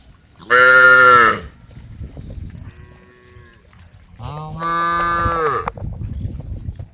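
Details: Cows on a road calling the herd, a group of females: a loud, rich moo, a faint distant one, then a longer wavering moo over a low background rumble.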